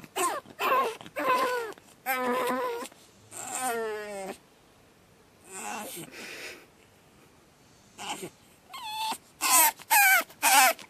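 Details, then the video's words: Batman, a pug puppy on his second night home, screams in loud harmonic wails and yelps, some long and wavering, others short and sharp, broken by brief quiet gaps; bursts cluster near the start and end. "Pug Puppy Screaming"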